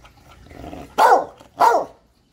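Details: Two short, loud barks about half a second apart from a talking Catahoula. Each is harmonic with a quick rise and fall in pitch, over a soft background murmur.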